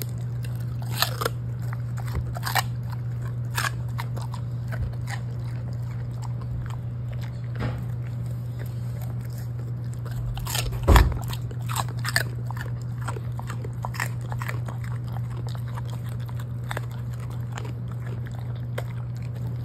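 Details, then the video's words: Lucky, a Golden Retriever who likes cabbage, crunching and chewing it indoors: scattered crisp bites throughout, one louder thump near the middle, steady low hum underneath. "양배추 먹방 asmr"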